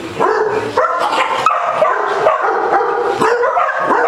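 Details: Basset Hound playing with a ball and getting the zoomies at a dog day care in Las Vegas, Nevada; loud harmonic yelping barks and bays come in quick bursts, some drawn out, over a busy indoor background.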